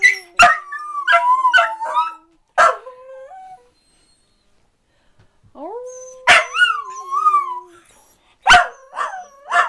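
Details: Dachshunds 'singing' in bursts: yips and wobbling, warbling howls at the start, a pause, then a rising low howl overlapped by higher, undulating yodels and barks in two more outbursts.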